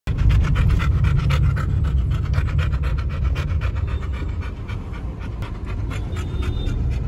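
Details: Labrador out on a day trip for fun, panting fast and steadily at about two and a half breaths per second, a rough, breathy, low rhythm, with faint music in the background.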